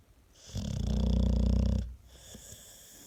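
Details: Amstaff dog snoring: a single drawn-out, rough, low vibrating inhalation lasting over a second, swelling and then stopping abruptly, then near silence.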